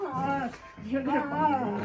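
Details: German Shepherd puppy Arlo, jealous while his older brother Luka gets cuddled, pestering him in play indoors: a drawn-out, wavering whine-growl with rising and falling tonal bends over about two seconds, while a woman speaks soothingly and music plays.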